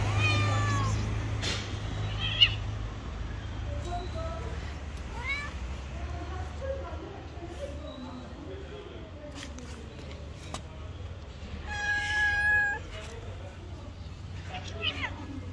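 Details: Hungry street cats begging for food give scattered short meows over a steady low rumble of background noise, with one louder, clearer wailing meow near the end.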